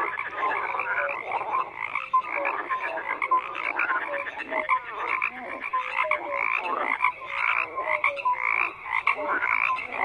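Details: Steady wall of frog croaks, many callers overlapping, raspy pulses laced with short falling tonal notes, continuous across the whole stretch.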